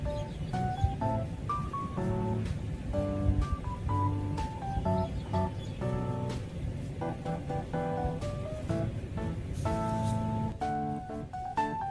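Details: Soft instrumental music with plucked, bell-like notes over a low, steady bass and a faint rushing background; no animal sound stands out.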